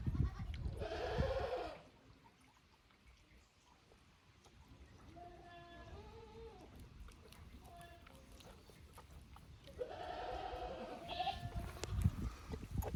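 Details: Kid goats brought up from the lower pasture to an unfamiliar pasture at Yoshigake Farm, Japan, 15 May 2024. A loud bleat opens, softer wavering bleats follow midway, then another strong bleat near ten seconds, with low background rumble.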